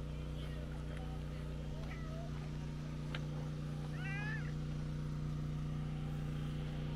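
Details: Stray tortoiseshell cat, out walking alone, giving a soft, restrained meow while seeking affection from a person: one arched, harmonic meow rising then falling near four seconds, faint squeaks earlier, a person speaking softly, and a steady low engine-like hum throughout.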